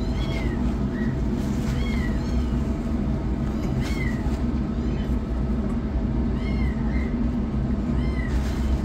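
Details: Rescued kittens, a yellow one running for food while a black one starts treatment; thin high kitten meows, short and rising-falling, repeat about every second or two over a steady low rumble of background noise.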